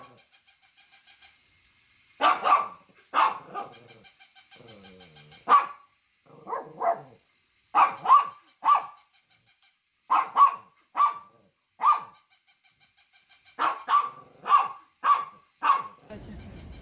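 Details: Dogs barking loudly in clusters of two to four harsh barks, with short gaps, soft quick pulsed ticking between bouts, and a low rumble at the end.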